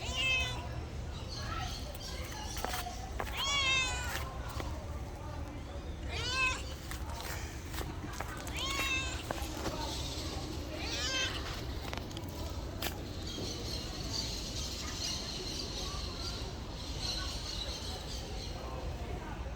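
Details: Domestic cats meowing in the first half: a run of short, wavering, harmonic mews and squeaky calls, followed by quieter stretches with a faint hiss-like rustle and constant low background rumble.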